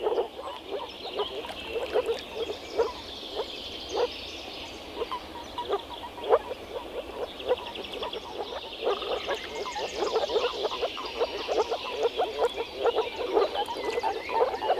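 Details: Moor frog males croaking by vocal sacs at a spring breeding gathering in a small forest pond; dense chorus of short, low, hollow pulses overlapping continuously, many frogs calling at once with no other clear sounds.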